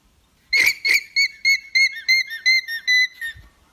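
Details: Alpaca alarm call signalling danger: a quick run of about ten shrill, squeaky, whistle-like notes at a steady high pitch, roughly three per second, the first two harsher and breathier, over a quiet background.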